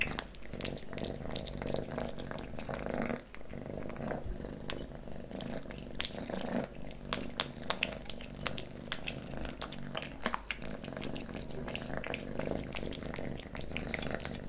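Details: Kitten named Leo eating pate wet cat food and treats, recorded close for ASMR; steady purring hum underneath a stream of wet smacking, licking and chewing clicks indoors.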